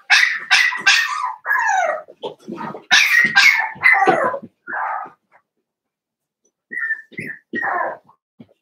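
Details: Seven-week-old blenheim Cavalier King Charles Spaniel puppies in an indoor puppy pen: shrill, high-pitched yapping barks and yips tumbling in quick succession for about five seconds, a brief silence, then a few more sharp yips.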